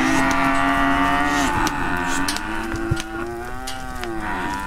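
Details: Cattle of Brahma, Hereford and Brangus breeds being rounded up to sort calves and sell older cows; sustained droning moos overlap continuously, pitch wavering and falling, with sharp knocks and clanks of pens or gates.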